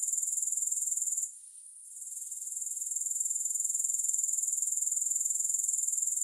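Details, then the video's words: Grasshopper chorus: shrill, rapidly pulsed insect trill that fades sharply for about half a second after the first second, then swells gradually back to full strength. No music or other sounds. "Grass Hopper Sounds"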